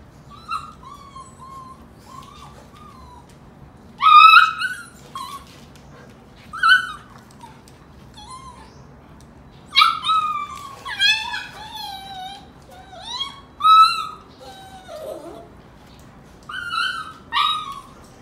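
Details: Mother Golden Retriever wrestling with her puppies to toughen them up; repeated high whining yips and whimpers, many falling in pitch, arrive in clustered bursts across the clip, separated by short quiet pauses.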